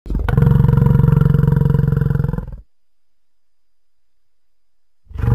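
A plains bison lets out a low, guttural roar with a rough, pulsing growl to it, held for about two and a half seconds. After a pause of silence, another roar begins.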